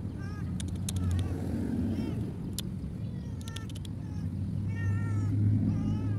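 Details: ['Roadside cat that was abandoned, crying in a series of bent, harmonic meows, some short and some drawn out, while traffic drones low underneath and a few sharp clicks break in.']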